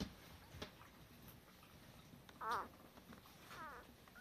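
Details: Male Cardigan Welsh Corgi pup, fourth of Shar's litter, gives two short, thin whines about a second apart, each wavering downward, after a quiet stretch of faint shuffling.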